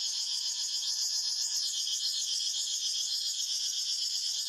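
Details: A chorus of cicadas in the forest: a steady, piercing electric-like buzz with quick regular throbbing, holding at one level for the whole stretch.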